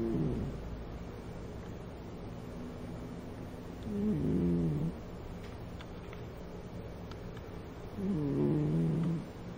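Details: Domestic cat with a chronic blocked nose, left over from a cold she had when taken in, snoring loudly while asleep at home; two rough, rattling low snores a few seconds apart over a steady low hum.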